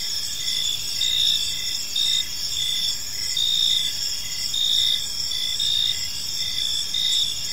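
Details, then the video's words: Evening in a serene park filled with gentle cricket chirping; several high trilling insects layer into a continuous shimmer, short pulsed bursts recurring about once a second, no other voices. "Park Serenade: Cricket Sounds in a Peaceful Park"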